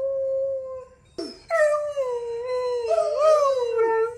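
A Borzoi gives a long, sustained howl that wavers gently in pitch.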